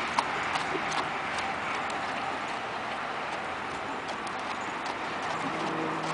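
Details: Hoofbeats of an Arabian horse working in a figure-eight pattern: faint, fairly even thuds near 160 per minute, set against a continuous rushing background noise.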